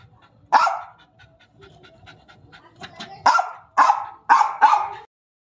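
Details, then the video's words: Angry German Spitz giving a single sharp bark, then panting, followed by a run of four quick yappy barks, each bright and abrupt. "jack ko gussa aaya"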